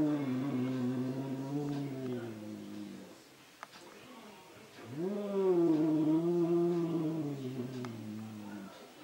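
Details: Indoor cat angrily fighting his mirror reflection, giving drawn-out low moaning growls that swell and waver in pitch, two long yowls split by a brief lull.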